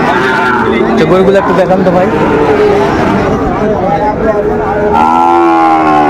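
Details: Sahiwal bull calves at a crowded cattle market in Cumilla, Bangladesh, 16 December 2024, give drawn-out harmonic moos, the clearest one rising late, over constant crowd chatter and market hubbub.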